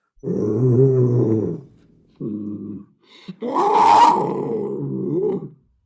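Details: Deep panther growls, a rumbling harmonic growl, then a shorter low grunt, followed by a louder, rougher snarling growl that swells and tails off.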